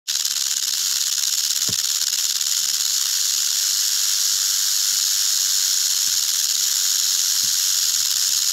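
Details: Venomous eastern diamondback rattlesnake, Crotalus adamanteus, rattling its tail: a steady, hissing buzz that runs unbroken for the whole stretch without pause, with a few faint low knocks underneath.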